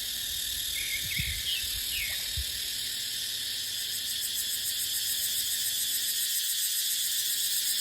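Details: Cicadas drone loudly and without pause in a deciduous dipterocarp forest during the dry season. Wind buffets low in the first seconds, a few thin bird notes and a sweeping chirp cut through early, and the buzz carries on.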